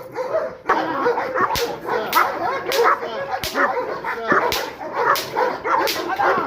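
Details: Rottweiler in guard-dog training, once fearful of being touched or approached, barks fiercely while attacking; harsh, rapid barks come in uneven bursts, with a man's voice shouting encouragement between them.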